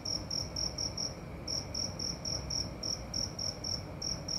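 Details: Cricket at night producing quicker high-pitched chirps, around four per second, in runs separated by short pauses, with a low background rumble.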